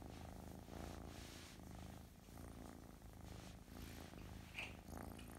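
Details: An affectionate, gentle Russian Blue kitten from a cattery purrs steadily, a low rumbling throb rising and falling with each breath.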